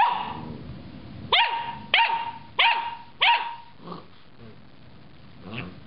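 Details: Pet dog Loki confronting a carrot top, giving four loud, clipped barks roughly two-thirds of a second apart after a quiet start, followed by fainter huffs and a soft trailing vocal sound.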